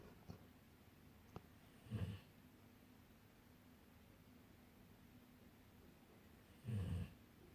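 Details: Golden retrievers asleep and dreaming, snoring: two low, rough, breathy snores about five seconds apart, each under half a second, with quiet room hush and a faint click between.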